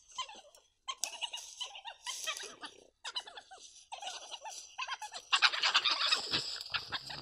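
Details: Wild badgers calling to each other in March 2020 at Prioksko-Terrasny Reserve, recorded by a camera trap, exchanges that ended in a fierce scuffle; a busy run of chattering, squealing and churring bursts, growing louder and harsher toward the end.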